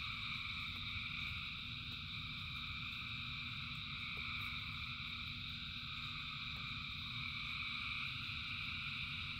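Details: Frogs in rain form a continuous massed chorus, an unbroken high droning trill in stacked bands, with a heavy low wash of rainfall throughout.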